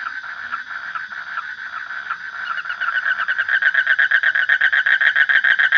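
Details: Frog calling: a faint, steady trill at first, swelling after three seconds into loud, rapid pulses repeated about four times a second, with harmonics layered above the main pitch.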